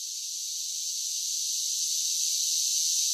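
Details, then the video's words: Brief stretch of summer cicada song: a piercing, even, high-pitched buzz that grows slightly louder over three seconds, with no other voices or noises. "10 Hours of Cicada Sounds for Relaxation with Soothing Summer Nature Sounds"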